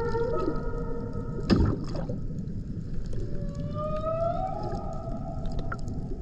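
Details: Humpback whale in the Banco de la Plata sanctuary, 120 km northeast of Puerto Plata, Dominican Republic, 2024: sustained mid-pitched tonal notes, one steady and then one slowly rising whine, with a sharp knock and steady low rumbling noise beneath.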